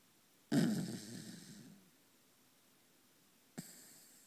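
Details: A 3½-year-old Corgi in deep sleep snores like a buzz saw, a rough, rumbling breath that fades out slowly, then starts again.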